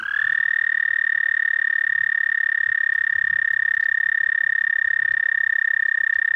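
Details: Toad song at night in late May 2014, 11:13 p.m.: one unbroken, even, high-pitched purring trill held steadily at the same pitch throughout, with no other noticeable sounds.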